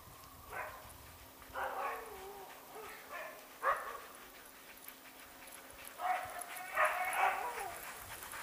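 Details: Siberian husky sled dogs in Kuusamo, Finnish Lapland, January 2012, give eager, high yelping barks and whining yips in uneven bursts.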